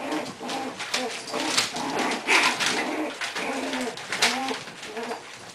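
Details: Four English Bulldog puppies playing, Kona stepping in to referee their fights; wavering, cooing growls and grunts repeat through the scuffle, with rustling and light thumps.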